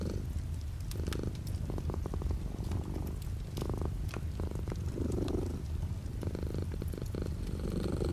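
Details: Cat purring with light rain outside the window: a continuous low, rumbling drone, with faint patter and scattered clicks of rain layered above it.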